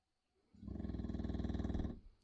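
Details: A 6-year-old English Bulldog sleeping snores with a deep, rapid, rattling rumble like a jackhammer.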